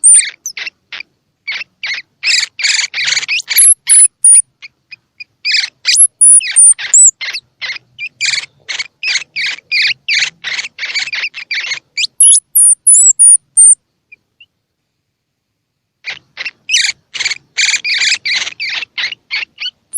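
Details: A baby squirrel's feeding-stimulation calls for young squirrels, open-eyed or not: long fast bursts of scratchy chirps, several per second, broken by high thin squeaks and a few seconds of silence before the chirping resumes.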